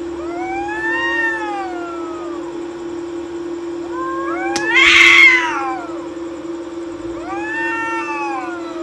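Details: Two cats fight on a wall at night beside a courtyard, trading wavering, rising-and-falling caterwauls. A sudden harsh, noisy screech bursts out midway, followed by further wailing. A constant low hum runs underneath.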